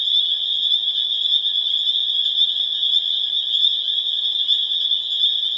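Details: Pseudacris crucifer in full spring chorus, Harvard, Massachusetts, late April 2011: a steady, ringing mass of high peeps so dense it sounds like one continuous piercing tone.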